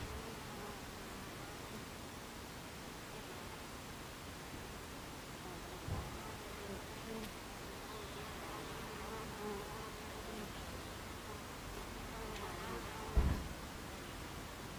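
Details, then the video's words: Buckfast bees massing at their hive entrance, 26 July 2013 at 14:30, giving a deep, even hum of wingbeats, with a soft knock near six seconds and a sharper thump near thirteen seconds. "Beehive Entrance Buckfast Bees"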